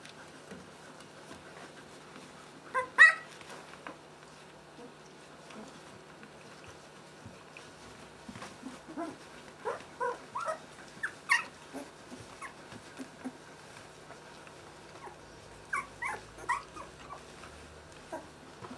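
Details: Puppies at two weeks old, of the Merszi x Victor litter, during a potty break before feeding, giving clusters of thin, rising whimpers and squeals in bursts, with one louder yelp early on.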